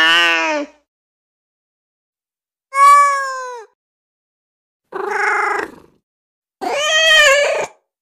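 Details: Female kitten meowing, offered as sound to attract other cats: four separate harmonic meows spaced about two seconds apart, some nasal and wavering, others clear and slightly falling, on silence.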